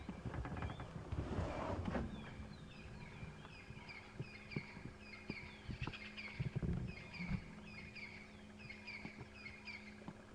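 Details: A squirrel in a big tree gives a run of sharp, repeated alarm chirps, judged not too serious an alarm, over a low safari-vehicle engine rumble on a morning drive at sunrise in the wet season.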